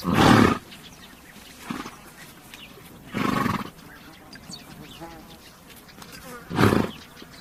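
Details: Three separate rough, blowing exhalations from a horse, each under a second long and spaced a few seconds apart, with a softer puff between the first two and a low outdoor hum.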